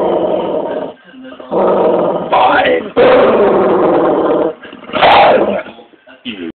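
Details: A Staffordshire bull terrier cross pit bull growls in long, grumbling bursts, refusing to give up his massive bone.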